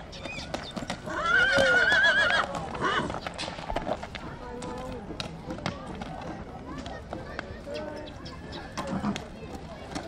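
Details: Horse at Țibeni, Suceava, letting out a short, quavering, high whinny around the second second, followed by men's voices and scattered clip-clop of hooves.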